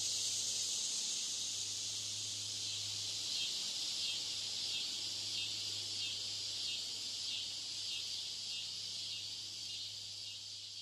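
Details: Cicadas mating: a high, grating buzz with quick regular pulses, several per second, fading slightly toward the end.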